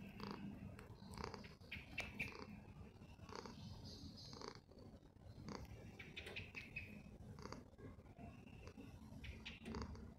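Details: A continuous low, throbbing purr from Poofy the house cat, accompanied by frequent short rustling and tapping sounds and faint higher-pitched noises throughout.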